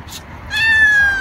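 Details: Domestic cat giving a single drawn-out meow while eating, a steady tonal cry with rich harmonics holding level then easing slightly downward; faint soft noises before it.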